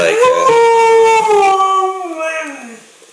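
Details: A talking Siberian husky indoors, lying on a coffee table, answers its owner with a drawn-out, tonal, howl-like vocal that rises briefly, then slides down.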